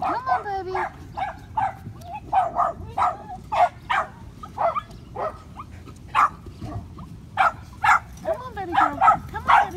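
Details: Five-week-old Patterdale Terrier puppies exploring a homemade earth tunnel of black PVC pipe give sharp, short yips and barks in an irregular series, about one every second or two, while a person coaxes them along.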